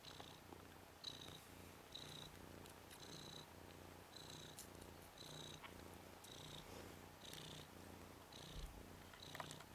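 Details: Red/cream colourpoint Ragdoll tomcat kitten Nikita, ten days old, one of three boys from Zaphirra's litter, tumbling on his back; quiet continuous rumbling purr with short high chirpy squeaks recurring about every second.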